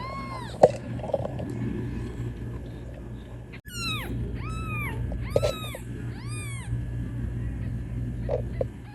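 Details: Kitten calling for its mother cat with a series of rising-falling meows, a few faint at first, then four clear ones in quick succession, with a sharp click midway and a low constant hum.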